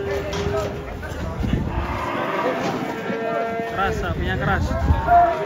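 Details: Banteng on the rampage after escaping during unloading from a truck, mooing in broken, uneven bursts over a steady background of men talking and shouting.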